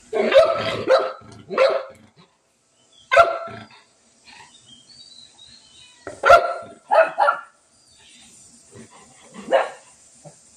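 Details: Small Shih Tzu dog squaring off against a cat, barking in scattered clusters of two or three sharp yaps with quiet stretches between, plus a faint high background hum.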